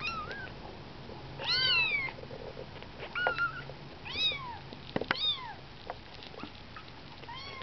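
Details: Nineteen-day-old kittens out of their nest for the first time call with high, rising-then-falling mews, several voices overlapping, loud bursts roughly every second, over a low background hum and small knocks.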